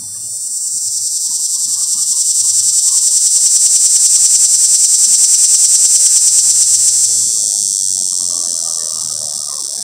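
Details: A cicada calls for mates in a pear tree, recorded by creeping up on it: a high, rapidly pulsing buzz rises to a strong steady drone, then eases slightly toward the end; faint low intermittent hum below.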